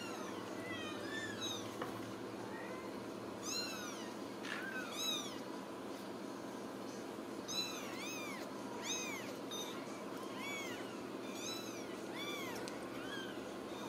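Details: A litter of Ragdoll kittens raised cage-free in a Kansas home cattery mews constantly, high squeaky arched calls from several kittens in bursts, some stacked closely together, over a quiet indoor hum.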